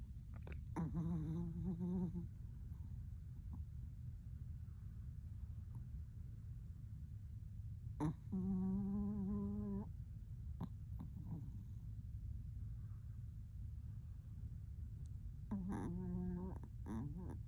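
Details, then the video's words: Aqua, a pet Chihuahua, snoring while asleep indoors: three drawn-out, droning, buzzy snores of one to two seconds each, steady and low, with quiet pauses and faint clicks between them. "Aqua snoring like a man grown"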